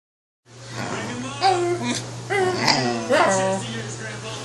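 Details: Pet corgi indoors in a small room, "debating" with its owner about which show to watch: a short series of yodeling, rising whine-howls in three bursts, with the owner's voice mixed in and a steady low hum.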